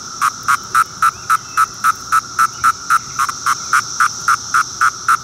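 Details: Court III call of Magicicada septendecim: a string of brief, even buzzing pulses, nearly four per second, metronome-like and unchanging in pitch, with a quiet background.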